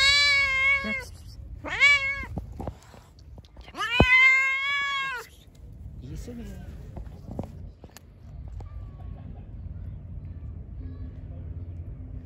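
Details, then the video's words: A hungry, pregnant stray cat that attacked its feeder gives three loud meows in quick succession, short, short, then a longer drawn one, before falling quiet; faint rustling and low background hum follow. "Angry poor hungry Pregnant Cat. I gave him food. Attacked me"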